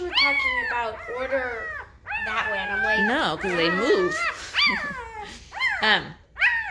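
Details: Noisy five-day-old Great Bernese pups, Great Pyrenees crossed with Bernese Mountain Dog, give long, high, harmonic squeals and yelps that swoop up and down, several voices overlapping in near-continuous crying.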